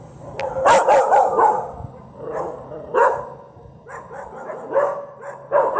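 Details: Dog barking in a series of short, harsh bursts, three quick barks close together early on, then further spaced barks, with faint background noise between them.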